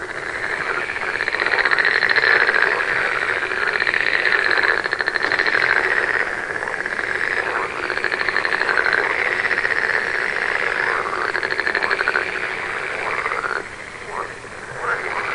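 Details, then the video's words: Dense chorus of many frogs calling together: overlapping pulsed, rasping croaks with rising-and-falling arched notes, a continuous mid-pitched din that swells and fades slightly, with a brief dip near the end. "One hour of frog sound"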